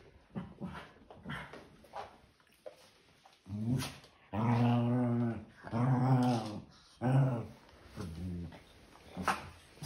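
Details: Maltese pet dog growling while enjoying playtime indoors; several drawn-out low growls lasting about a second each, some sharper snorts between, in a small room.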